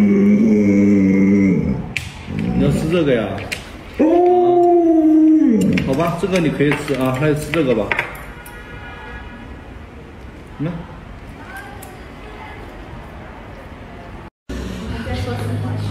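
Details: Pet Alaskan Malamute named Luoluo reacting after its owner scares it with a mask: a steady drawn-out tone, then a loud arched howl that rises and falls over about a second and a half, with human speech and background music.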